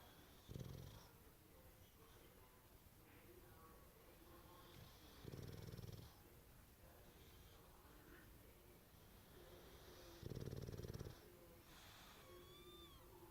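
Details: An English Bulldog napping in a home office in Prosper, Texas snores loudly in deep, rattling bursts about every five seconds.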